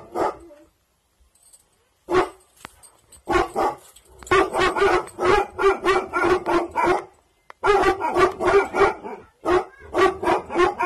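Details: Aggressive-bloodline Bhotia dog on night guard, barking hard and fast in long irregular volleys, about three barks a second, broken by short pauses.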